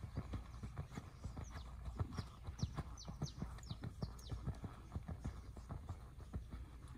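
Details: Seven-year-old gelded purebred Lusitano horse moving with steady clip-clop hoofbeats. Low, thudding strikes come roughly every half second, with a few faint high chirps in the background.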